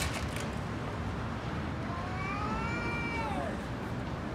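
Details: Fighting cat, angry, letting out a single long wailing meow that rises then slides down, heard over a constant background hiss.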